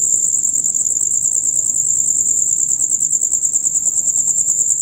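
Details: Loud rapid chirping of male crickets calling between dusk and dawn, a piercing high trill pulsing evenly throughout the short stretch, with faint low rumbling beneath.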